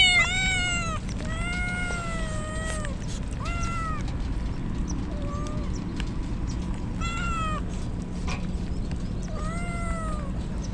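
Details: Rain-drenched stray kittens calling as a typhoon nears; a string of arched meows, some long and drawn out, others brief, against heavy steady rain noise.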